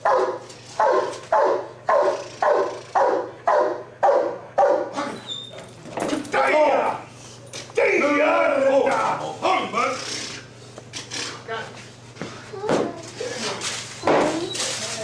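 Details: Giant Schnauzer police working dog giving a fast, regular run of deep barks, nearly two per second, before the barking breaks up amid shouted speech and noise.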